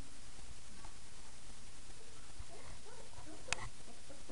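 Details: Five-week-old puppies at play after the night-time feeding. Short, squeaky high whines and little yips come in quick bursts in the second half, with a sharp click among them, over a steady background hiss.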